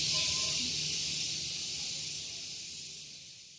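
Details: Morning cicada at Gunung Geulis, Bogor, West Java, by a vehicle parking area: an intense high sizzling drone that starts strong and steadily fades away, with a few brief faint tonal notes near the start.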